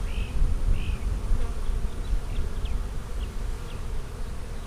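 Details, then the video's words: A colony of honey bees from a split made March 4 hums during a hive inspection on April 15, 2017. A dense, low, continuous drone is broken early by two faint chirps and a few thin high squeaks. "Bee Hive Inspection"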